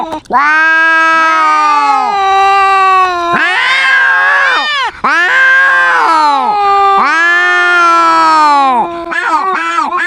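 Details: Domestic cat quarrelling with a loud-voiced rival cat: long drawn-out yowling meows, two voices overlapping at slightly different pitches, each wail swelling and sliding over two to three seconds with short breaks between.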